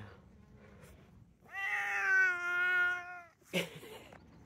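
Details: Talkative male Bengal cat lets out a long, sustained meow of nearly two seconds that swells and then fades, followed by a short, sharp burst of a different sound, with quiet background noise around it.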